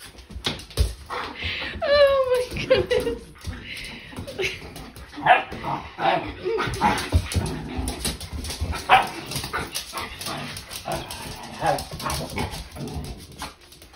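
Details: Two dogs, Nala and Jersey, playing in their new playroom, with Nala not wanting Jersey in the tent; a high whine slides downward early on, then scattered rough barks and play noises follow under people talking indoors.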